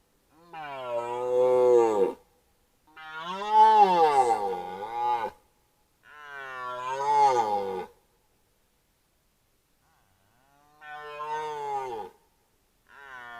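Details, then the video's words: Bull red deer in the 2025 rut bellowing at a camera trap: four drawn-out, hoarse, harmonic roars, each lasting roughly one and a half to two and a half seconds, with wavering pitch and silent pauses between them. "Ryczący jeleń byk przed fotopułapką Rykowisko 2025"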